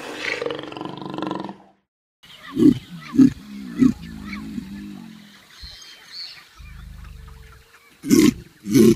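A caiman gives deep, rasping grunts in short bursts, three close together and then two more after a pause, following a brief stretch of other low rumbling.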